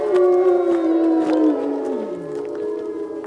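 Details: Gray wolves howling at a Colorado wolf and wildlife center on a full moon feeding tour, November 17th, 2013: several sustained, overlapping tonal howls, one held steady then gliding down in pitch, with faint clicks behind.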